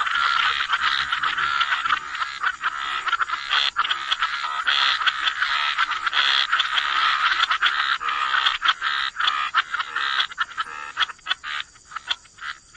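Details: Frogs croaking together by the waterside in a wetland, a dense, steady chorus of rapid overlapping croaks and trills that keeps going without pause and thins slightly toward the end.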